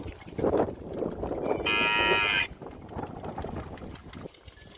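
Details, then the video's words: Village cow standing near a house, mooing because it wants grass to eat; one harmonic, fairly high-pitched moo lasting under a second, with rustling and faint background noise before and after. "Cow Mooing, Cow Sound, Cow Standing Near The House, Cow Want Grass Food"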